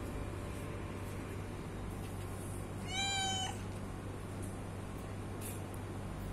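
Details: A hungry house cat gives a single drawn-out meow lasting about half a second, harmonically rich and fairly even in pitch, against constant low-pitched hum.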